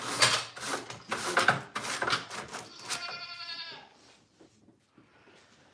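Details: Farm goat lets out one drawn-out, quavering bleat near the end, after a run of clattering and thumping noises, then near quiet.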